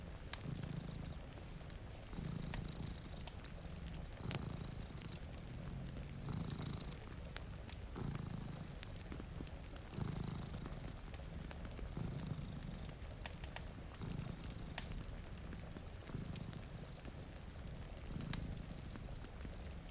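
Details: Two domestic cats purring while asleep in front of a rainy window: a low, rumbling purr swelling in breaths roughly every two seconds, with sharp crackles from a fireplace and a steady hiss of rain throughout.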